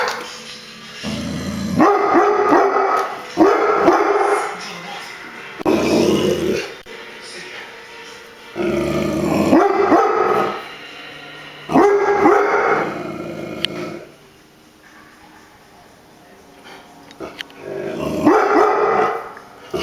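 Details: Brownie, a pet dog described as barking at everything, lets out loud harsh barks in bursts of one to two seconds separated by quiet gaps, with a television programme faintly audible in the background.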